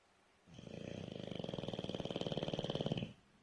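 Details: Sleeping bulldog snoring loudly in a small room, one long inhaled snore of fast regular rattling pulses lasting about two and a half seconds, rising in strength then stopping sharply.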